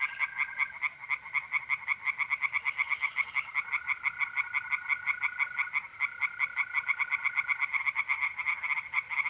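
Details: Night chorus of tree frogs in a pond, North-East Italy, mid-April: quick rattling croaks repeated almost three times a second, overlapping callers, and a sustained even trill of mole crickets in the background.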